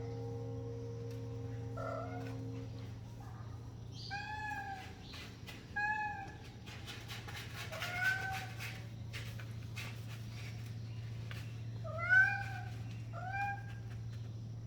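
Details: Kitten calling with a run of short, high, arched meows, some doubled, spread across the recording above a continuous low hum.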